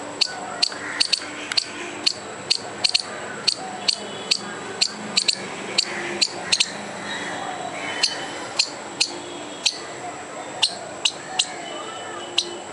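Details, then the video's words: Agitated squirrel trying to frighten a dog and a person, giving a long run of clipped, scratchy barks at a brisk regular beat of roughly two to three per second, some notes doubled, against low background hum. "squirrel trying to scare a dog and me by making furious noise"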